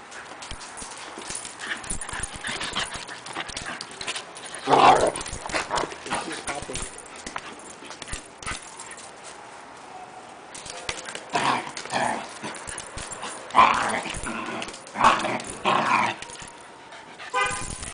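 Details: Havanese dog giving a feisty play growl during play with a Standard Schnauzer: several brief harsh growling bursts spaced unevenly, mixed with thumping and scrabbling of paws and some human speech.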